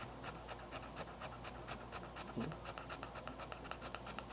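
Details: An excited English Bulldog breathing heavily indoors, rapid rhythmic panting with short airy bursts about every quarter second, steady throughout, a person's voice briefly between breaths.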